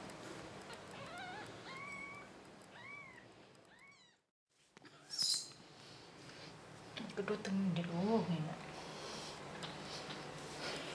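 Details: Indoors, a six-day-old kitten rejected by its mother, now beside mother cat Patmie, utters a run of short high rising-falling mews over four seconds; after a brief silence come rustling, a low voice and handling noise.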